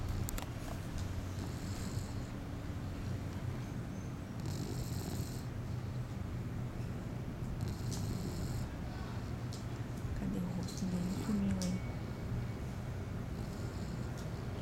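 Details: A 4-month-old English Bulldog puppy snores while asleep: continuous low rumble, with breathy wheezing inhalations repeating roughly every three seconds and a brief higher whine near the end.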